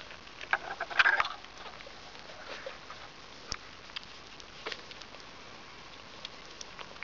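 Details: Five-day-old Border Terrier puppies from the Zinger and Bravo litter give a brief, high, tonal squeal near the start, followed by soft pattering, shuffling and faint clicks with quiet gaps.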